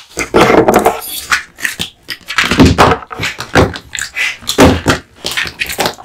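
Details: Kotetsu, a male American Bully (Pit Bull) born 8 August 2016, gnawing on duck spine jerky: wet, smacking bites with deeper thuds, in bursts roughly every second or two.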